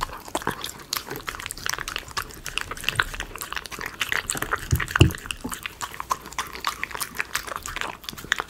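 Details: A Miniature Schnauzer eats chicken pot pie premium dog food, chewing and biting with quick, irregular wet clicks and crunches.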